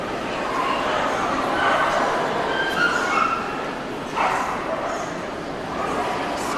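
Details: Male Shih Tzu dogs recorded on 23 February 2013: short yapping barks break through a constant dense hubbub, with one sharper burst near the four-second mark and human voices murmuring underneath throughout.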